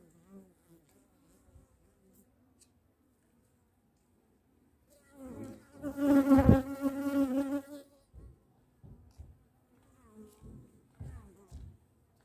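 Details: Bee passing close: near silence, then a loud harmonic buzzing swell for about three seconds, dropping away to a few short faint buzzes at the end.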